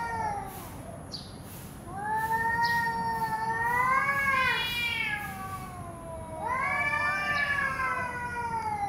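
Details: Cats fighting: long, wavering, harmonic-rich yowls that rise and fall, one drawn-out wail swelling for about three seconds, then another long rising howl after a short pause, with faint higher squeals between.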